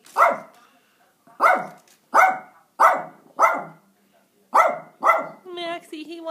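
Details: Max, a little Yorkie, barking at a squirrel during a standoff over bird food: sharp, high yaps spaced about a second apart, seven in all, with a brief whine and a voice at the end.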